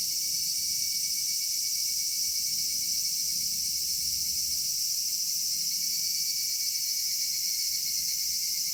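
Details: Evening summer chorus of cicadas among cedars: a shrill, seamless ringing drone spread over several high pitches, one thin tone shifting slightly late on, and faint low background rumble.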